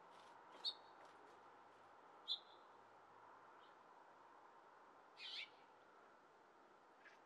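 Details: On a window sill, a squirrel panics as a cat walks nearby, giving sharp, high chirping alarm calls spaced a second or more apart over a steady hiss while climbing higher.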